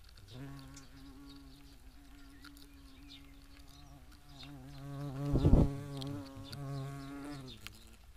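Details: European hornet (Vespa crabro) at a nest box: a steady, low droning buzz with rich harmonics that runs almost the whole time. It briefly swells louder and rougher near the middle, then settles back to an even hum, with faint outdoor background.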